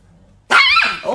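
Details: Angry chihuahua giving one loud, sharp, high-pitched yap that breaks off abruptly after a brief quiet lead-in.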